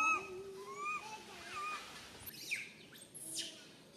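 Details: Frightened tiny monkey, stuck alone up a tall tree and calling its mum, gives a few thin, wavering whistled cries early on, followed by rustling and scraping noises.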